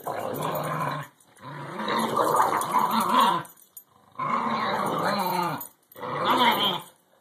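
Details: Growling from an English Bulldog and a Cairn Terrier at play, tugging on a rubber ball packed with rubber balls; throaty, wavering growls arrive in four separate bursts divided by short silences.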